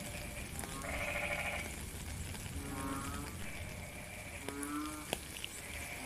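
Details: Several frogs calling in rainy weather, each call a brief, nasal, harmonic moan; one higher, louder voice stands out among lower ones. Steady rain patter and scattered drip clicks run throughout.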